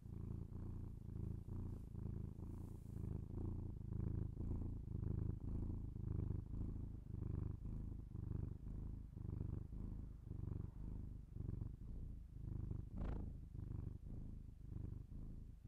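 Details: A house cat's low vibrating purr captured binaurally, continuous rumbling that pulses with each inhale and exhale, about one breath per second, with a faint brief click or tap partway through.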